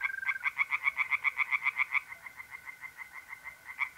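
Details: Tree frogs singing in a pond by night in mid-April in north-east Italy, a fast series of harsh rhythmic croaks, roughly four per second, over the steady continuous trill of mole crickets.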